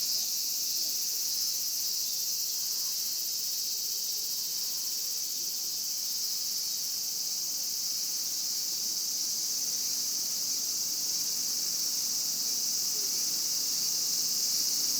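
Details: Shrill, sustained whirring of Japanese cicadas fills the whole stretch at constant strength, a seamless high-pitched chorus without breaks.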